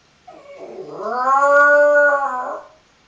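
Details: Jack Russell Terrier puppy giving a single drawn-out howl lasting about two and a half seconds, starting low, rising and holding a steady pitch before fading, with a rich tonal quality; a quiet room otherwise.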